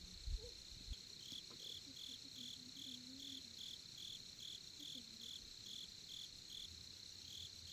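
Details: Crickets calling at a Korean campsite by the campfire: evenly pulsed high chirps layered on a constant shrill trill, while low voices and a couple of thumps rise briefly underneath.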